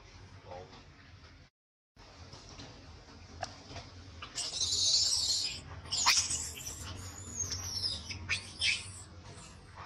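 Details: Mistreated by its mother, a baby monkey cries in a tantrum: after a quiet stretch, loud harsh high-pitched screams burst out and repeat in ragged, uneven bouts.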